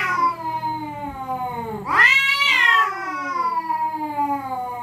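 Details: Territorial cats threatening each other at night: a long, low, moaning yowl swells suddenly into a loud, high cry, then drops back to a sustained, falling groan.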